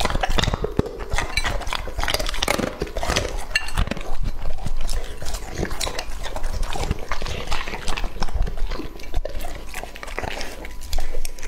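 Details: Lucky, a two-and-a-half-year-old male English-type Labrador Retriever, eating raw meat: dense, irregular wet chewing, smacking and crunching clicks, loud and continuous across the whole stretch with no pauses.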